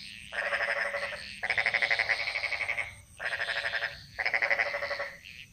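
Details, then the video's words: In the jungle of Bali, frogs give loud, coarse pulsed croaks in four bursts, each lasting about one to one and a half seconds with clear gaps, over a faint low hum. "Frog Mantras - Relaxing Sounds Of Bali"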